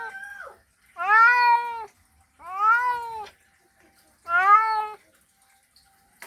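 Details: Male domestic cat giving a mating call to attract a female, three drawn-out arched meowing yowls of equal length separated by short silences, clean and close with no other sounds.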